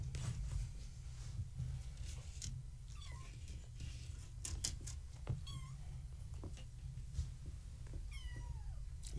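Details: Kittens of Gaia, a fluffy tabby mother, born March 14, 2017, visited at bedtime indoors behind a fence. Several thin, descending meows at intervals over a low steady hum, with scattered clicks and rustles.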